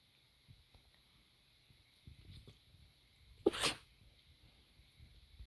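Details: A puppy gives a single short, explosive cough: one sharp burst across the range at mid-clip, with soft snuffling and low breathing noises before and after it.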